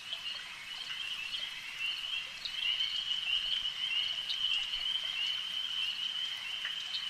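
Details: Frogs calling at a lake at night: a dense, steady high-pitched trilling chorus that swells slightly after two seconds, with faint scattered clicks and a soft background hiss.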